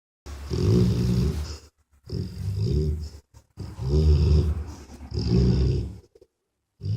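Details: A mother dog sleeping with her puppies after a long, exhausting day snores in deep, rough, low breaths, each lasting over a second and separated by short silent gaps.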